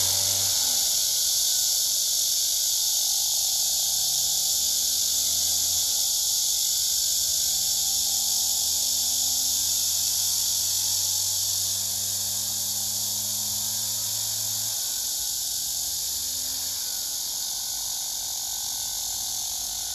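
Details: Male cicada singing on a tree beside another male that listens, several cicadas gathered on the trunk, filmed by phone: a dense, steady, hissing buzz that fills the high range, with faint low humming tones underneath.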